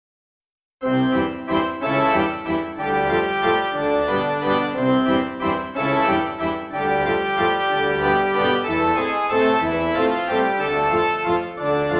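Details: Bright upbeat organ and keyboard music plays throughout after a brief silence, with no animal sound.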